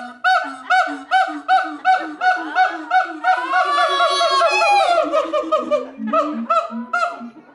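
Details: Captive siamangs at the Los Angeles Zoo, California, in full song: pulsing hoots repeated almost three per second, swelling into a long rising whooping wail, then lower booming notes returning at the end.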